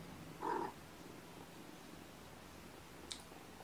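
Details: Sleepy foster kittens waking gently from a nap on weigh-in night, indoors: one short, soft mew lasting about a quarter second near the start, then a quiet room with a faint click toward the end.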